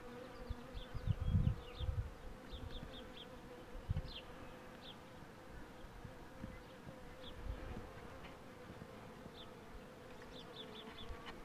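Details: Steady hum of honey bees while the queen box is pulled, a continuous low drone with handling thumps, and short high chirps from small birds scattered throughout.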